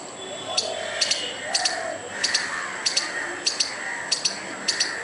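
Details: Squirrel scolding a dog and a person with furious noise: sharp paired chuck notes, each pair repeated about every half second in a steady rhythm, with quiet background hiss.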